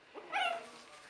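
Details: Buttercup's three-week-old puppy, filmed in 2015, gives a single brief high whine that swells and fades within half a second, with quiet room noise around it.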